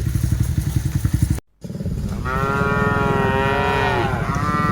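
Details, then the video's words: Cattle being herded, dozens of cows driven along; after a motorcycle-like engine rumble and a brief cut, one long drawn-out moo with rich harmonics, rising then falling, over continuous low engine noise. "Aktivitas Mengiring Puluhan Sapi Lembu Lucu Suara Moo - Suara Sapi Moo Yang Lucu"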